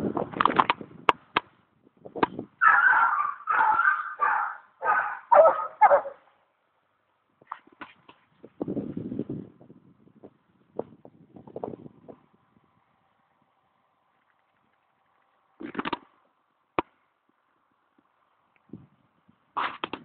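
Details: Foxhounds on a hunt after a fox, the fox just shot: a quick run of harmonic, wavering bays rising and falling in pitch, followed by scattered single yelps and low grunting calls separated by silent gaps, with a sharp crack near the end.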